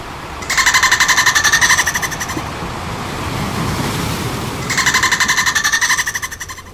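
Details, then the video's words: Two rattling pulsed bursts from dolphins at play, each roughly one and a half seconds of quick clicks fused into a bright, buzzy tone, separated by a low, rushing, watery-sounding pause. "Dolphin Sound effect - Som dos Golfinhos com Muita brincadeira"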